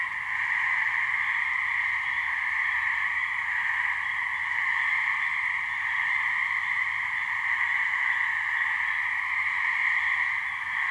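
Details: A couple of gray treefrogs (Hyla versicolor) giving mating calls in a swamp in New Hampshire: a seamless, humming trill in two pitch bands, slightly swelling and fading in loudness, with a faint low hum beneath.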